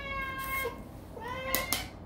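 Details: During a group mealtime with several cats, a cat gives two drawn-out meows in quick succession, the second rising slightly. Two sharp clicks are heard near the end.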